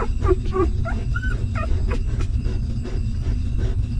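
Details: Hungry newborn puppy nursing from its stray mother gives a few short squeaky whimpers and one longer thin whine in the first two seconds, then mostly a low constant rumble with faint clicks.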